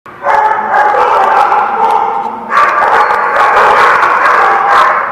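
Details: Dogs at The Barking Lot on 12/3/16 barking together in a dense, overlapping chorus, with a brief lull before the noise surges again, louder, at about two and a half seconds.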